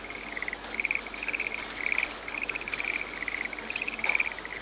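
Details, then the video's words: Frog in a rainy, quiet forest giving a near-continuous run of short, high-pitched pulsing trills, each burst lasting under a second, set against the soft patter of rain. "The soothing voice of a frog in the raining forest"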